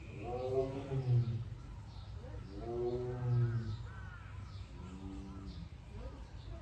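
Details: Captive male Siberian tiger born 2013 at a Seoul zoo, recorded 22 June by an iron door, gives three long groaning roars spaced roughly two seconds apart, the last weaker, with a constant low hum and faint higher bird calls behind.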